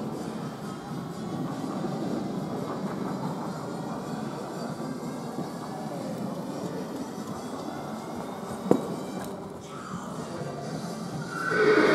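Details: Steady low rumbling noise, like a passing train or machinery, runs throughout, with a single sharp click near the end and a rising swell at the close.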